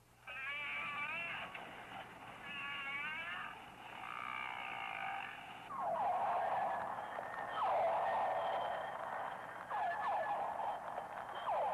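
Whale voices fill the water: wavering, harmonic whistles give way to a series of loud, downward-sliding cries. A steady low hum runs beneath the calls.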